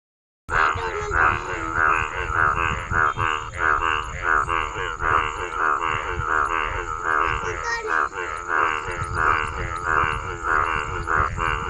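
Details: Male frog croaking in a steady series of harsh, pulsed, nasal croaks, about one and a half per second, over a constant high hiss and low rumbling background.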